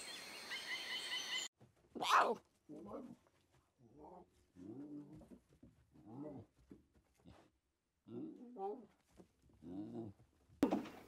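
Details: Young lions at play in the wild give a run of short, low moaning grunts and groans, some with a wavering, rising-and-falling tone, broken by brief pauses and a sharp higher squeal near the start.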